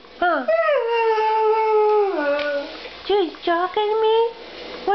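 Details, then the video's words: Demon the Siberian Husky, a house pet, answering his owner with a drawn-out howl that slides down in pitch and holds steady, followed by a few short rising-falling whines in a small room. "Having a conversation with my husky"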